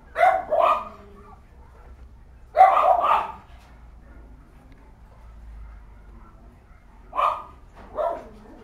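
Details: Female Cavalier King Charles Spaniel barking; six sharp barks in three groups, two quick barks at the start, two more near three seconds, then two spaced barks near the end, with quiet low background noise between them.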